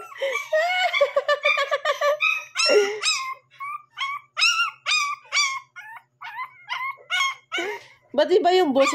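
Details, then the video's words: Shih Tzu puppy aged one month and seven days, barking around midnight and waking its owner. It gives high, thin yips and whiny squeals in quick, irregular bursts, with people talking and laughing nearby. "shitzu 1 month And 7 days tumatahol na pala"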